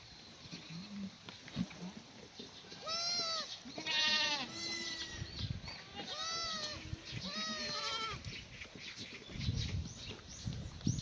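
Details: Several black goats at a free-range, antibiotic-free farm in Gimhae, Korea, on a sunny May morning while being fed strawberry-plant branches; a run of loud, vibrato-laden bleats overlapping one another, then quieter rustling and chewing sounds.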